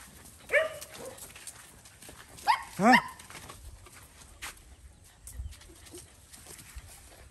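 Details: Stray mother dog on a farm in Cambodia, guarding her puppy and trying to bite as food is given to it: two short harmonic yelping cries, one near the start and a stronger doubled one about two seconds later, over quiet background clatter.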